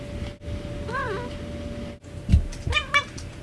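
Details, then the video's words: Domestic cat making a so-called barking sound: two short harmonic calls, the first rising then falling, the second a sharper clipped burst, over steady background hum and a constant tone. "cat barking"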